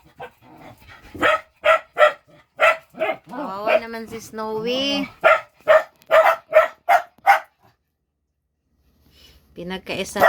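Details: Dogs playing while their food is awaited: a steady run of sharp barks about twice per second, interrupted by a drawn-out rising whine or voice, then quiet before a last bark.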